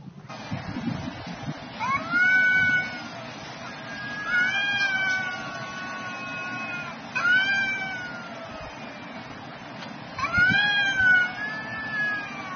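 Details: Two cats fighting at noon: drawn-out harmonic yowls that rise and then sag, four long wails spaced about every three seconds over a low rumbling background.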